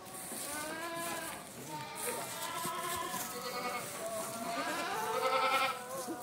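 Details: A crowd of Boer and Saanen goats kept for breeding, calling continuously in layered, tremulous bleats of varied pitch, one louder wavering cry standing out near the end amid constant herd noise.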